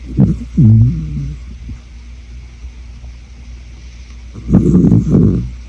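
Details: Miss Audie, an aging Shetland Sheepdog farm dog with seasonal allergies, snores while sleeping deeply: a pair of low, groaning, harmonic snores, a quiet gap, then two rough, rumbling snore bursts over a steady low hum.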